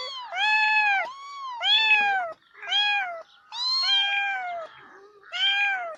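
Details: Domestic cats meowing in a compilation: loud drawn-out harmonic meows, each rising then falling, about five in six seconds with short gaps between.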